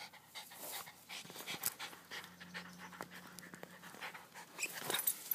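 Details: Dog panting while playing with balls: quick breathy, noisy bursts repeat steadily through five seconds, with soft thumps and a faint steady low hum underneath.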